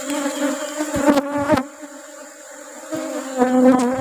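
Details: Asian honey bees at a hive during honey harvest while rubber trees are in bloom: a steady, loud, low droning hum with rich overtones, briefly swelling as bees pass close, dipping quieter midway, then rising again.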